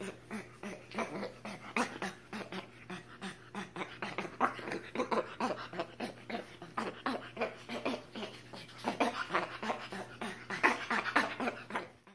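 A spider monkey gives rapid, repeated squeaky calls with a whining, breathy edge over a low steady hum.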